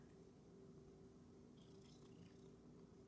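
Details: Purring from a rescued Domestic Shorthair cat as it practises tricks in a small room, a continuous low, even rumble throughout, with a few light ticking sounds near the middle.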